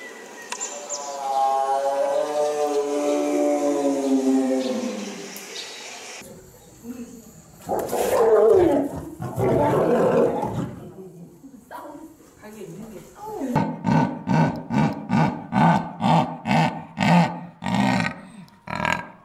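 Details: Zoo animals heard in quick succession: a long, smooth harmonic cry that slides downward over five seconds, then a rough, loud roar, then a run of short, hoarse grunts repeated about twice a second.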